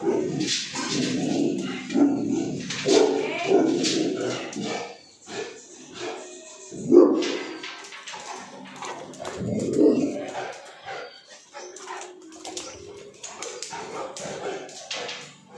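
A Cane Corso barks and growls aggressively in deep, rough, irregular bursts.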